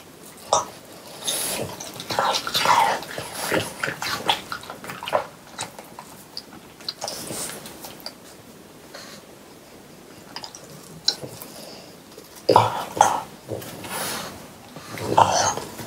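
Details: Watermelon eaten by three pet French Bulldogs indoors during hot summer weather: scattered wet crunches and slurps with quiet gaps, then a loud cluster of juicy chomping toward the end.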